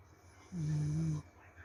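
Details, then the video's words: A corgi asleep lets out a single low, even snore lasting about seven tenths of a second, smooth and droning, then quiet breathing resumes. "corgi tidur ngorok"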